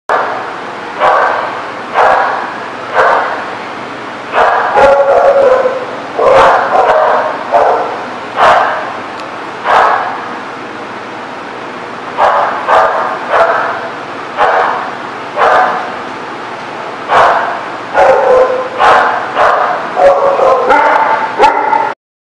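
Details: Dogs barking at a dog lot on 29 September 2017: loud, sharp barks repeated roughly every second or two over twenty seconds, some doubled in quick pairs, with a constant low hum behind them.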